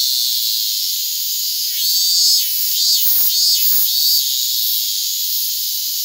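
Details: Hyalessa maculaticollis fuscata cicadas resting on a hand, August 8, 2022; a steady piercing high-pitched drone fills the recording, with two short crackling bursts near the middle.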